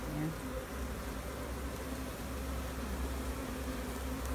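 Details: Hive of bees being checked for a new queen, with queen cells spotted. A thick, even buzzing drone over a deep rumbling hum, with little change from start to end.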